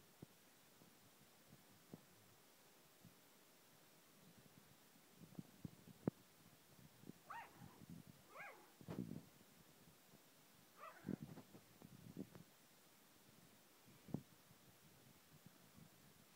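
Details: An 8-week-old Yorkshire Terrier puppy, too small to get onto the sofa, gives a few thin, high whimpering yelps amid soft thumps and quiet room noise.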